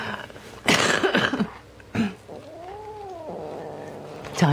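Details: Siamese kitten Teddy, red point, tricked out of his toy: loud scuffling bursts, then a smooth arching growl-moan lasting about a second.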